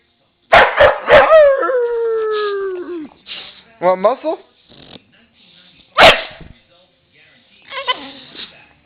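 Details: Pet dog barking when asked to speak for food, a few sharp short barks in quick succession, then a single bark later, mixed with a person's drawn-out coaxing voice and talking.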